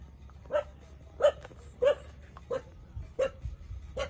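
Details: Puppies 27 days old suckling milk from their mother; short high yelping whimpers repeat at irregular intervals of about half a second to a second, each a brief squeaky note with a noisy tail, over a low background rumble.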